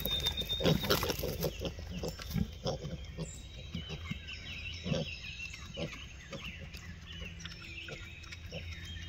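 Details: Free-range Hereford piglets in the woods, with repeated short low grunts and squeaks coming in quick succession alongside rustling, and a faint high tone in the background.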